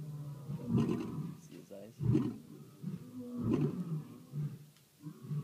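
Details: Lions roaring at night in South Africa, low rumbling grunts heard more faintly amid background noise, uneven bursts every second or so.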